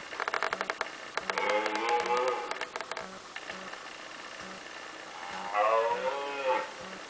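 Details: Two red deer stags (Cervus elaphus) fighting give harsh, groaning roars that fall in pitch, with rapid clattering knocks between them.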